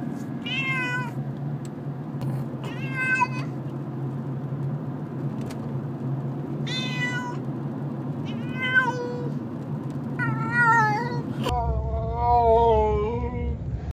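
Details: Pet cat meowing while being taken from place to place, disliking the trip, scared and trying to scratch: six drawn-out, wavering meows spaced a few seconds apart, the last longer and lower, over a steady low vehicle rumble.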